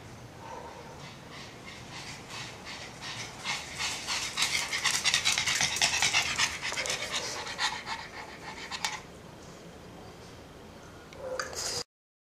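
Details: Pug panting in quick, rhythmic breathy bursts, roughly three per second, building to its loudest in the middle seconds before easing off, with a soft whine near the end.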